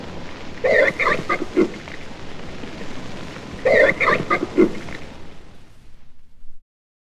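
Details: Red river hog grunting at London Zoo, U.K.: two loud, throaty grunt sequences about three seconds apart, each a sharp burst followed by shorter trailing grunts.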